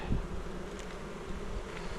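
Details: Native Korean honey bees on Jirisan buzz around an opened hive while the sixth frame is checked; a continuous low droning hum, a brief thump near the start, faint higher flicks of passing bees.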